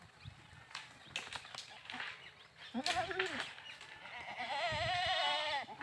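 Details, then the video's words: Goat bleating: a wavering, nasal bleat rising and falling near the middle, then a long tremulous bleat held to the end, with clicks and knocks earlier on. "Funny Goat Sounds"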